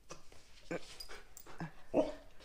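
A dog gives three short, yelpy barks about a second apart, mixed with a man's voice repeating a command.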